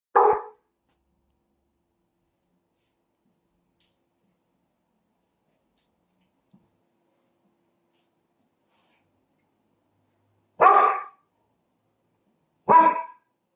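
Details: Dog giving three single sharp barks, the first at the start and two more about two seconds apart near the end, with long silences between.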